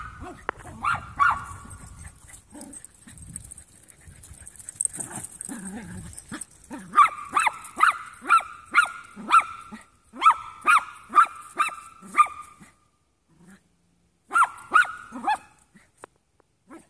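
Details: Play session of three young Jack Russell mix dogs: soft growls and scuffles at first, then rapid runs of high yapping barks in clusters, ending after a short quiet gap.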